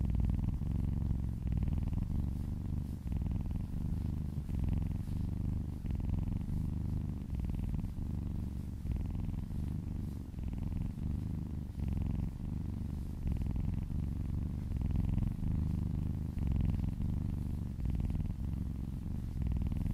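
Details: Massaged female kitten purring steadily close up while licking along a person's arm, a strong low rumbling drone rising and falling in even breath cycles for the whole stretch, nothing else heard.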